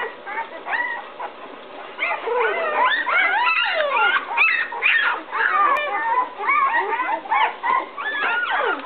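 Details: Several 11-day-old puppies of Fiona and Max in a whelping box, upset and looking for their mother after she walked out; overlapping high squeaky whines and whimpers rising and falling, continuous chorus of cries.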